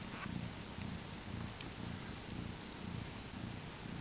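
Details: Mother cat with four newborn kittens born the same morning: soft, steady low purring that pulses about twice a second, heard quietly over a faint hiss.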